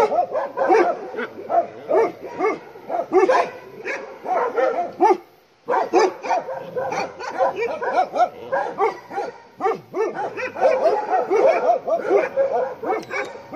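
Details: Bhotia dog on a farm, roused by a nearby leopard, barks in fast, loud bursts. The barking breaks off in a short silence near the middle, then resumes just as frantic and overlapping.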